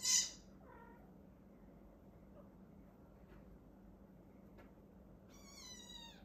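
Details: Maine Coon mother with her kittens while a Border Collie helps care for them: a thin, high mew at the start and another drawn-out, high harmonic mew near the end, over a quiet steady hum.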